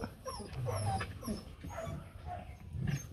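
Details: Rottweiler puppies from a litter of four, two males and two females, with their mother Hanna nearby; thin, high squeaky whimpers sweep upward in short bursts over soft low rustling and handling noise.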